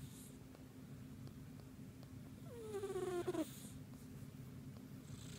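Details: Deeply sleeping house cat snores, briefly poked during sleep; one squeaky, harmonic snore slides downward midway through, over a constant low rumble, with faint soft rustles.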